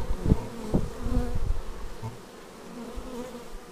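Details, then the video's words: Bees arriving at the beehive on a Xiaomi Yi action camera recording; loud close buzzing passes with clear harmonic tones in the first second and a half, then a fainter, steadier background hum. "Bees arriving at hive"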